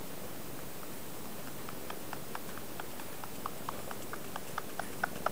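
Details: Kitten Zoonie noisily drinking milk from its mother Peko: a steady train of soft wet clicks and smacks, spaced roughly a third of a second apart and growing more distinct toward the end, over a low continuous rumble.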